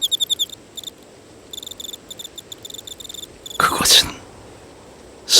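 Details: Crickets and other grass insects chirp in quick, high, ringing pulses at a temple in autumn, singing to call mates, broken near the end by two bursts of rustling noise.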